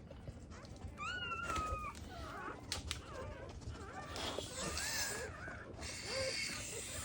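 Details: Newborn black Labrador Retriever puppies, born during their mother's first birth and needing emergency CPR to revive, give thin, high squeaky whines that slide downward in short strands over a steady background hiss.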